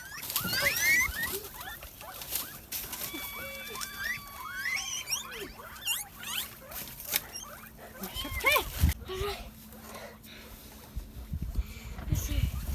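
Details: Guinea pigs kept for rearing, during cleaning and disinfection of their quarters: many high rising and falling whistled squeaks, some in repeated series, mixed with rustling, tapping and scraping noises and occasional low background hum.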